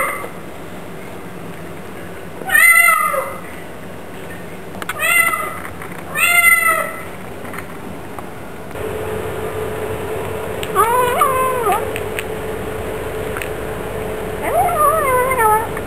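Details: Pet Bengal cats meowing: three loud, drawn-out meows with falling then rising pitch near the start, then more wavering meows later over a steady electrical hum.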